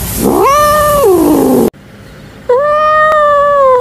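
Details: Angry domestic cat named Quanquan giving two loud, drawn-out complaining meows; the first rises, holds steady, then slides down, and after a short silence a second, evenly held wail follows.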